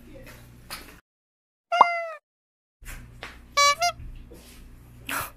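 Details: Domestic kitten indoors, in a home with a black cat and a calico cat, calls as if asking for a new scratcher: a short clear harmonic meow that falls in pitch, then a broken two-part meow, with soft room noise and handling sounds between.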